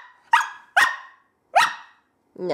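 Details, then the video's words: Female whippet puppy, 20 weeks old, gives three sharp, short barks about half a second apart, then begins a whine, while a person talks to her indoors. "Talking Whippet"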